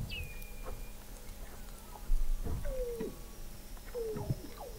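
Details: Weddell seals under sea ice in McMurdo Sound, Antarctica, recorded November 2017 from an observatory 21 m below the ice: a high falling whistle that levels off, faint distant trills, and repeated short descending chirps over low background rumble.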